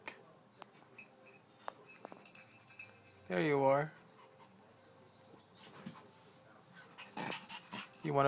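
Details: Pet dog inviting its owner to play gives one loud, arching, harmonic whine lasting about half a second midway, then shorter whimpers near the end, while a man speaks softly to it before and after.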